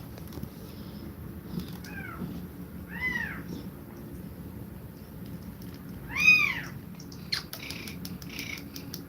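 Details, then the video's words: Domestic cat mother feeding milk to her kittens, breathing fast; four short, high, arched mews rise and fall at irregular intervals, the loudest near the end, over a steady low indoor hum. "Cat Breathing Fast While Feeding Milk To Kittens"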